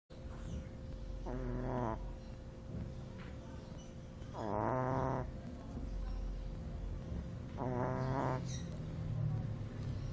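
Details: Two-month-old Shih Tzu puppy asleep, snoring in nasal, wheezy bursts about every three seconds, each breath a short rasping snort over a steady low hum.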